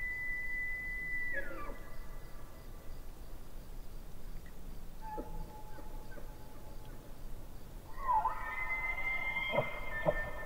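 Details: Distant elk by a lake give long, high whistled calls that slide downward, over a soft steady background hiss.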